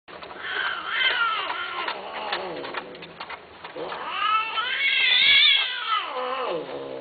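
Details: Domestic cat giving two long, drawn-out meows, each rising and then falling in a wavering, strongly harmonic wail. A brief quieter gap separates the cries, and the second is louder and higher.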